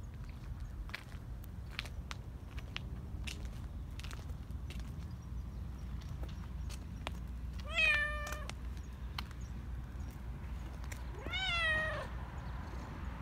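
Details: Black Persian cat, a community cat living in a park in Japan, greeting a familiar person while being petted, excited and happy; two bright, wavering meows about four seconds apart over a steady low rumble and faint clicking background.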